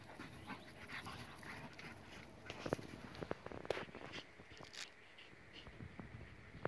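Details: A German Shepherd and a pitbull at play, giving rapid breathy pants mixed with a few sharp clicks and scuffling noises, brief whimper-like squeaks near the middle.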